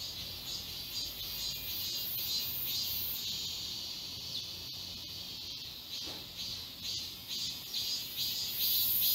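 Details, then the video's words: Summer chorus of cicadas in the woods of Galsan Park, Seoul: a shrill, shimmering high drone beating in rapid regular pulses about twice per second, with a few faint clicks and rustles underneath. "매미울음소리. 한여름의 청량제와 같은 천사들의 찬가. 갈산공원 매미들 숲속의 합창"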